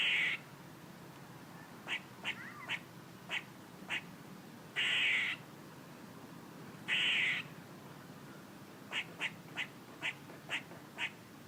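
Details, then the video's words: Squirrel making noises: sharp short chucks in loose runs, broken by two longer harsh, buzzy rasps lasting about half a second each, then a closing series of six quick chucks, over a steady low background hum. "A squirrel making noises"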